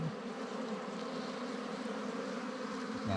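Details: Wild ground bees swarming at a dug-out nest on a honey hunt; a dense, even, humming buzz that stays steady for the whole moment with no other clear sounds.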